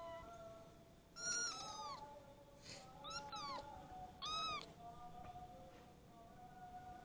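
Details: Kitten ten days after its adoption mewing indoors: three clear, thin, arching meows in quick succession, each rising then dropping in pitch, set against a constant low electrical hum.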